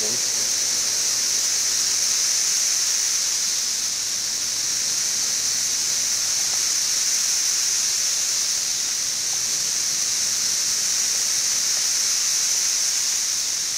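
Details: Brood XIV periodical cicada chorus in Frankfort, Kentucky, June 2008, weeks after the mass emergence: a continuous high buzzing drone swelling slightly and easing, with faint voices possibly beneath.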